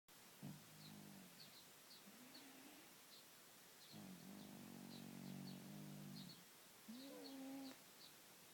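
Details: Domestic cat asleep, snoring and purring: low, throaty rumbling breaths in long harmonic bursts, each lasting one to two seconds, with a few short nasal whistling tones between them and faint high ticks in the background.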